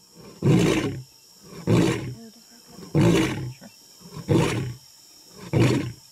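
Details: Male African lion roaring in the jungle ahead of an attack; five deep, breathy grunting roars come about every 1.2 seconds, each a broad low burst, with quiet gaps between and a faint steady high hum behind.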